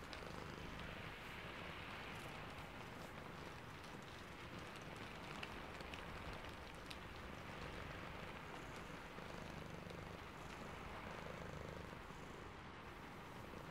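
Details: Sleepy domestic cat purring under the rain, a low, steady rumbling purr with faint rhythmic pulsing, mixed with continuous broadband rain hiss and scattered raindrop ticks.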